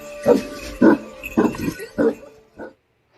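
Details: Dog barking for a children's farm-animal learning piece, five short barks about half a second apart, the last one quieter, with a faint musical tone beneath.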